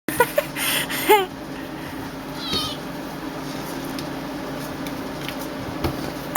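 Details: Feisty pet kitten indoors giving a short, sharp harmonic mew that rises and then drops near the one-second mark, followed by a fainter, briefer cry, over a steady low room hum with a few clicks and rustles.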